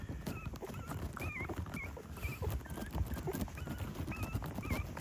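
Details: Dogs from a family of eight found by a riverside: short, wavering high whines repeated every half second or so, over loud low-pitched rustling and handling noise.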